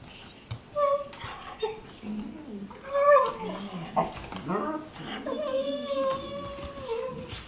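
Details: Weimaraner sisters Jila and Faith wrestle on their bed during a morning play fight in Cyprus, giving a run of short, wavering whines and grumbles that bend up and down, ending in a longer sliding moan.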